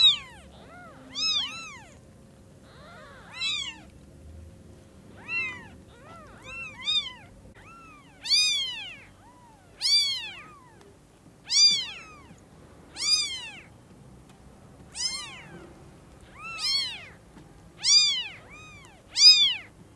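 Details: Newborn kittens whose eyes have just opened, seeing the mother cat at Lucky Paws; steady series of shrill rising-falling mews, roughly one every one and a half seconds, a few softer overlapping cries early on.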